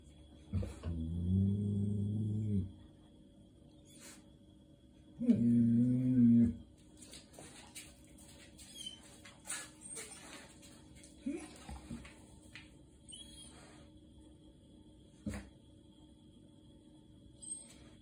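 A German Shepherd gives low, drawn-out groaning moans, crying and grumbling to be let outside.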